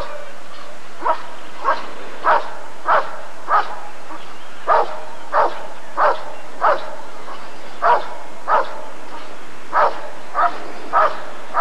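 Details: Rottweiler at the 1994 ADRK Körung breed survey, giving a long series of loud, sharp barks roughly every half second, about fifteen in all, over a steady murmuring background.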